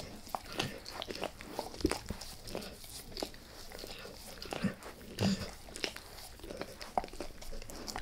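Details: Pet dog Max working on a beef rib inside a small room, gnawing lightly at first and then fully: scattered sharp crunches and gnawing snaps separated by brief quieter gaps, with soft licking between bites.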